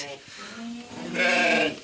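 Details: Lamb bleating one evening during care, between suckling from its mother and eating feed; a man talks, then a loud wavering bleat with stacked overtones rises near the end.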